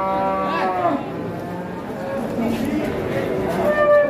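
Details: Giant cattle arriving in a group and being measured for height: a low, drawn-out harmonic moo in the first second, then more lowing under steady men's chatter and crowd noise.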